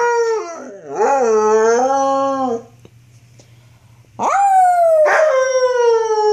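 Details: Luna, a female wolfdog puppy about six to seven months old, filmed in 2013 while playing rough, gives two long harmonic howls: the first wavering and dipping then holding steady, the second rising sharply before sliding slowly down, with a quiet gap between.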